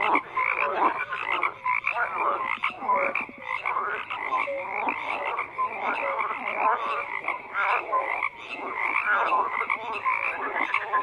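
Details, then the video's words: Many frogs croaking together in a dense, continuous chorus, overlapping rasping pulses and short tonal notes crowding the mid range with no gaps. "FROGS CROAKING"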